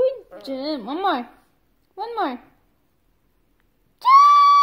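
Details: A male Shih Tzu has a singing lesson, howling in wobbling, rising and falling bursts with pauses between attempts. Near the end a steady sustained note sounds, held for the dog to follow.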